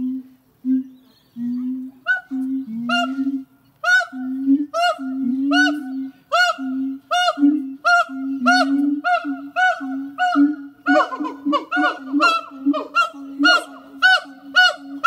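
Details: Pair of zoo siamang gibbons at Zoo de La Flèche singing on a hot summer morning, 6 August 2018: steady low hoots alternating with sharp, rising barks repeated about once a second, growing denser and overlapping toward the end.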